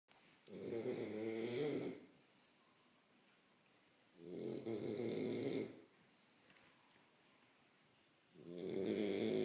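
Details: Sleeping French Bulldog snoring: three long, rasping snores, each close to one and a half seconds, returning about every four seconds with quiet breaths between, indoors.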